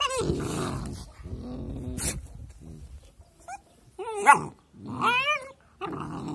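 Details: Pair of puppies at play: low growling rumbles open the scene, then brief quiet, followed by high, wavering yelps and whiny squeals that rise and fall in short bursts near the end.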